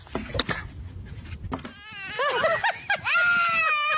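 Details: A goat making funny noises: after a burst of clatter and voices, a high, nasal, quavering bleat rises and falls in quick arcs, ending in a sustained, steady cry.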